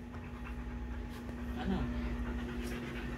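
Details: Belgian Malinois named Ronda, hungry and pestering for attention: rapid rhythmic panting with a short, soft rising whine near the middle, over a steady low mechanical hum like an engine.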